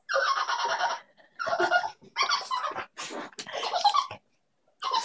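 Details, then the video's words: Indoor pet dog whose calls are likened to a dolphin's: long, high, squeaky, tonal squeals lasting up to a second each, five bursts with short gaps, rich in harmonics and slightly wavering, near a cat toy. "My dog sounds like a dolphin"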